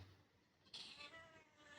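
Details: A helpless, hungry cat being offered food gives one short, bright meow after a quiet pause, with a faint murmur of a person in the background.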